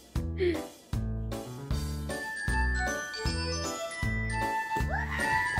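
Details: Bright, tinkling music plays throughout over a regular low pulse. No barking or other animal voice can be picked out.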